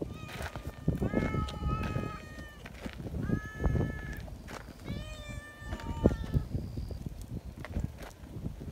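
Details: Friendly community cats gathering outdoors in Japan, meowing noisily in greeting and wanting to be petted together. Several drawn-out meows, some rising, follow one another over a steady background of rustling, thumps and handling noise.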